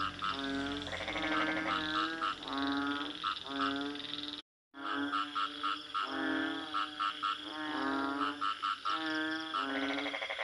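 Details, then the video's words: Frogs calling in overlapping nasal, bleating croaks, each about half a second long and rich in buzzy overtones, repeated in quick succession by several callers; a brief silent break falls midway. "Bunyi Katak"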